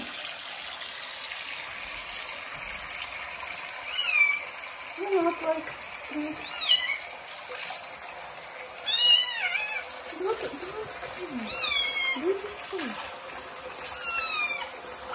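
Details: Johnny, a kitten having its first bath in a bathroom, gives repeated loud, high, bending meows, some rising and some falling, among a woman's soothing speech and the sound of water.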